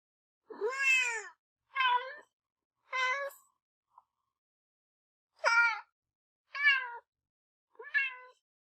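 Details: Pet kitten calling in two bursts of three short, high meows each, every cry briefly rising then falling, with a short pause between the groups and nothing else audible.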